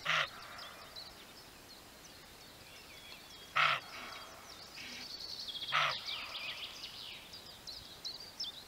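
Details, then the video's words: Barking roebuck, a male roe deer: three harsh, loud, broadband barks, the first at the start, then after about three and a half seconds and again two seconds later, with soft birdsong twittering in the background. "Szczekający Koziołek"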